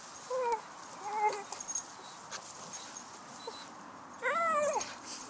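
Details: Shady, a male Staffordshire bull terrier, hunting squirrels and making lots of noise: three high, tonal whimpering yelps, two short ones early, then a longer rising-and-falling whine near the end, over faint background hiss.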